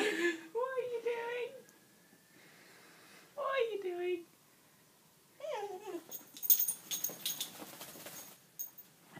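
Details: Nelly, a golden cocker spaniel, displeased at being towel-dried after a swim in the river: three drawn-out, wavering whining moans with breaks between, followed by scratchy towel-rubbing noise.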